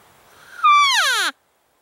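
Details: A young spike bull elk, seen hunting on October 20 in an open field at last light, gives a brief bugle in reaction to a cow call: a clear, high whistled note swooping into a rough descending squeal, under a second long.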